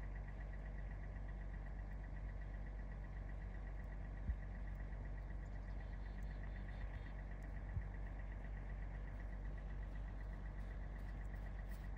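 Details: An engine idles throughout with a constant low rumble and a steady tonal hum, broken only by two sharp knocks.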